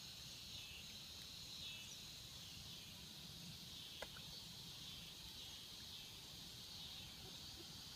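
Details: Cicadas in the swamps keep up an unbroken high buzzing drone; a single sharp click near the middle and low ambient rumble beneath.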